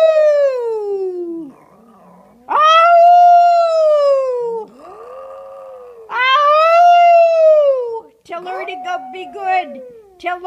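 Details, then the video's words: Retired Maltese show dog singing in reply to its owner: long, tonal howls that rise and then slowly fall, alternating with the owner's voice, and ending in shorter broken yips. "Maltese singing!"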